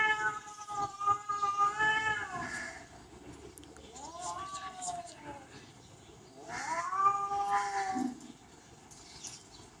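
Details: Domestic cat uttering a series of whining meows, the first long and harmonic-rich, later ones shorter with rising-then-falling pitch, against faint background noise.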